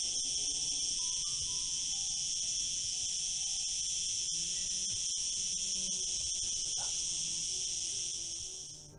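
A cicada sings a loud, continuous high-pitched buzz that barely falters, with faint voices beneath.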